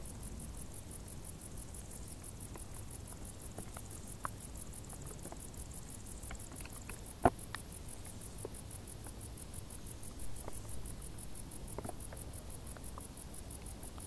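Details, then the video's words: High, rapid cricket pulses run evenly through the whole stretch, from tall grass in hot summer, with a low rumbling backdrop and occasional sharp clicks and ticks. "Grilli | suoni dall'erba alta"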